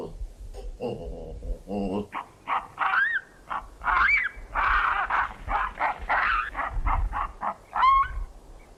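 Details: In the Okavango, Botswana, baboons stand on their hind legs watching a cheetah hunt nearby. They give brief, harsh barks and rising whooping cries in irregular bursts, about one a second, alarm calls alerting the troop, over a low rumble.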